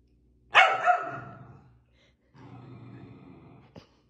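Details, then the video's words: Sapphie, a pet Pomsky, during play-fighting indoors: one loud, sharp bark that trails into a gravelly grumble, followed after a short gap by a low, drawn-out growling whine, then a brief click. "5 minutos de Sapphie peleando con todos"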